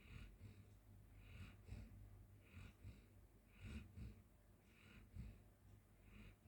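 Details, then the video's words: Golden Retriever Micky sleeping on the floor makes breathy, snorting snores at an irregular pace, about one each second, with a quiet droning hum underneath. "Sleepy Golden Retrievers 💤 and Snoring"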